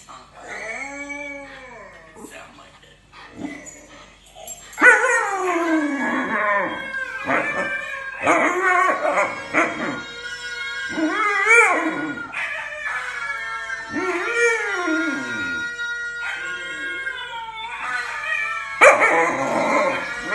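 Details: Three-month-old Alaskan Malamute puppy in Indonesia, vocalizing on waking up: drawn-out, wavering howls and whiny rising-falling calls, some in short bursts, with a person's voice mixed in at times.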